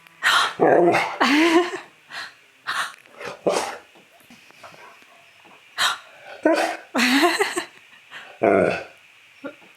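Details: Dog reacting to its owner gasping dramatically, seeming to ask whether the owner is alright; a run of short, varied, moaning talk-like vocal bursts, some sliding up and down, with pauses between.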